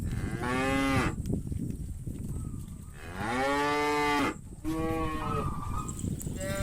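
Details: Hundreds of cattle walking to the farm pen in the afternoon give overlapping moos: two deep, sustained calls with rising starts, broken by higher, thinner flat calls from other animals amid constant herd noise.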